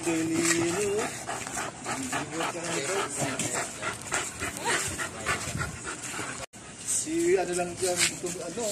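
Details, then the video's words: American Bully puppies at play: high, rising whimpering whines open the scene and return near the end, amid steady scuffling and rustling noise, with a person speaking Spanish in the background. "american bully puppies playtime"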